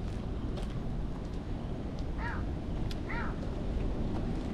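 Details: Orange-and-white cat in a park, invited to play and following along to a park bench, gives two short arched meows, rising then falling, about a second apart, over a steady low rumble of wind and distant traffic.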